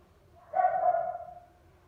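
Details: Toy poodle puppy, one of a litter of male and female pups bred in Turkey, gives a single short yelp, about half a second, rising and then fading.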